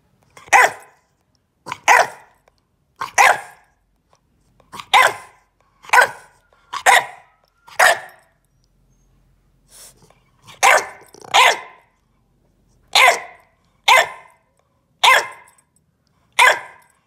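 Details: Bulldog puppy demand barking indoors in protest after being told not to bite the corner of a couch; sharp single barks in irregular pairs and runs, about one every second, with a short pause midway.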